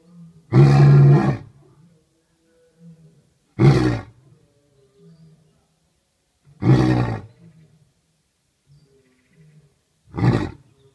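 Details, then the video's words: First roaring from Jasiri at Dartmoor Zoo since arriving on 19th December 2014, heard as four short, deep grunting roars spaced about three seconds apart, with soft low rumbles between them. "Jasiri finds his voice"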